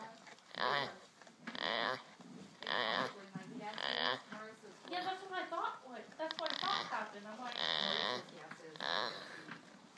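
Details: A male Boer goat gives a run of odd, nasal bleats, about one every second, while he sleeps.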